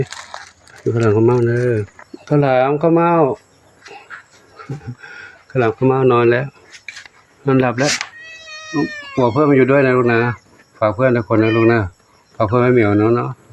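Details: A lone kitten that turned up by itself at Wat Pong Chai temple, Chae Hom, Lampang, gives a few high, thin meows with bright overtones, between long stretches of a woman's gentle talking close by.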